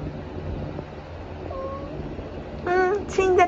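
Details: Tabby cat at its treats: a faint, short call, then two quick, loud meows in close succession about half a second apart, each brief and slightly downward-bending, over a low hum.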